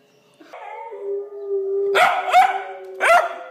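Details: A female Pembroke Welsh Corgi puppy howls along with wolf howls played from a video, mixing a long steady tone with short, rising, yelping wails.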